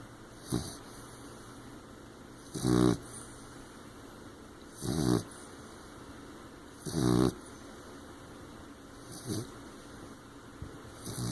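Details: Sleeping blue nose pit bull puppy Moon, female and 15 weeks old, snorts and snores with her eyes open. Five gravelly breaths in sequence, the middle three loudest, spaced roughly two seconds apart, over a quiet constant hum.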